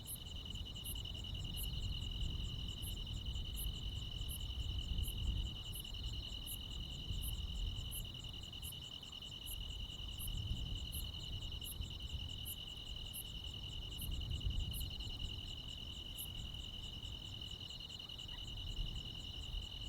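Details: Nighttime chorus of crickets and other insects in the countryside in high summer: an unbroken high-pitched trill with rapid, regular ticking overtones that thin out near the end, plus low rumbling ambient noise.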